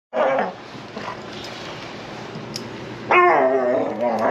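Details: Ranch dogs being taken to or from the dog run; a short high whine at the start, then a louder wavering whine-howl with rich harmonics near the end, followed by a person calling them over.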